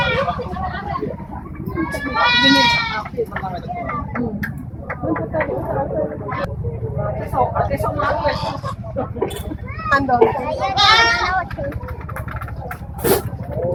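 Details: Etawa goats at a national-class contest in Senduro, Lumajang: two strong, quavering bleats, the first near the start and the second about eight seconds later, heard over steady human chatter and crowd noise.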